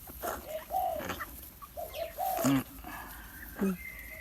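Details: Thai Bangkaew puppy, offspring of Baitong, feeding on milk from a large bottle with littermates waiting their turn; short tonal whines rise and fall between clicks and handling noise, ending in a sharper yelp-like note.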